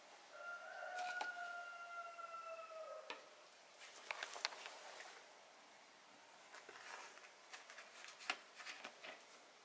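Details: Cat undergoing botfly larva removal from its skin gives one long, sustained wailing meow lasting about two seconds, slightly falling in pitch, followed by scattered clicks, taps and rustling handling sounds.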